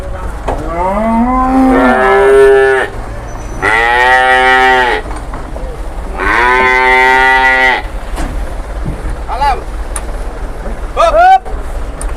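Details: Cattle arriving by truck at a cattle market in Indonesia, with a large one among them: three long, loud, harmonic moos, each about one to one and a half seconds, with shorter rising calls and light speech and vehicle noise between.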